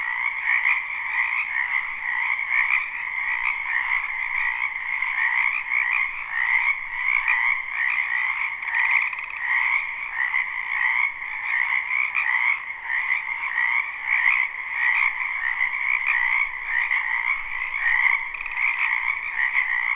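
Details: Live recording of many frogs in a spring wetland: a constant, dense croaking chorus that holds level for the whole stretch, with a rhythmic shimmer of fast overlapping trills.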